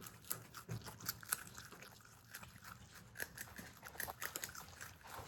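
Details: Marmot brothers kept indoors as pets, a mixed household of Himalayan and Alpine marmots, chewing food: soft, scattered crunching clicks with brief pauses, fairly quiet against a still room.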